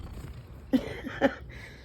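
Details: Domestic cat named Oskar asking for treats gives two brief, soft chirping calls about half a second apart over a quiet low hum.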